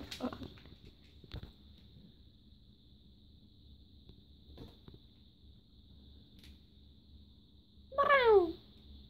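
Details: Daisy, a young farm cat, gives a single short meow near the end, a falling harmonic cry after a long stretch of near silence with a faint steady hum and a few soft clicks.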